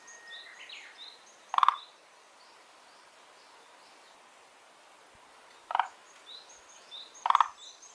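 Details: Frog from a garden pond where two unnamed kinds live, producing three short gravelly croaks, a pair close together near the end, while small birds chirp and twitter in the background.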